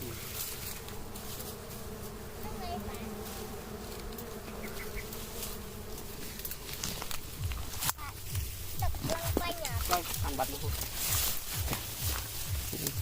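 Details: Honey bees from a wild nest beside a house hum steadily for several seconds. Then voices and handling noises take over as people work near the nest.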